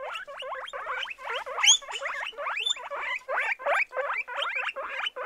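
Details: Seven-month-old guinea pigs, a litter of three boys and one girl. Rapid run of bright, bent squeaky chirps repeated about three times per second, with a sharper high squeal near the middle.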